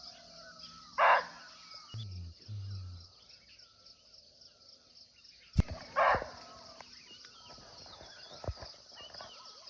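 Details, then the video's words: Wild muntjac, or barking deer, heard from nearby in Nepal's forest: two abrupt gruff barks roughly five seconds apart, with a constant shrill insect hum, soft bird whistles and a few low thuds between them. "Real Barking Deer Call"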